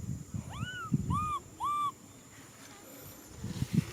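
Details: Baby macaque crying out for a hug: three short, arched, whistle-like cries in quick succession, each rising then falling, with low rustling and handling noises around them.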